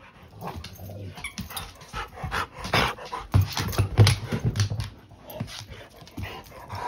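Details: Rottweiler growling at its owner while holding a toy indoors; low rumbling growl in uneven pulses with a brief louder burst midway, background music and a man's voice faintly present.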